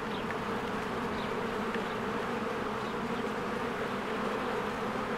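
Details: Honeybees in spring, many flying in and out of their hive among blooming flowers: a dense, steady droning hum with banded low tones, the occasional louder buzz of a single bee passing close, faint high chirps of birds in the background.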